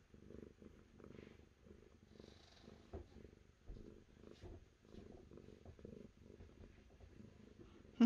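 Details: Clear, close cat purring in a quiet setting, soft rumbling bursts repeating about every second and a half with short pauses between breaths, ending with a sharp click.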